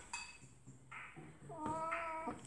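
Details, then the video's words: Oriental Shorthair cat playing inside its transport case, giving a short high harmonic meow, then a longer wavering mewing call about a second later, over quiet room background with faint clatter. "Ориентальный кот играет в своей переноске😸| Oriental Cat Loves His Transport Case"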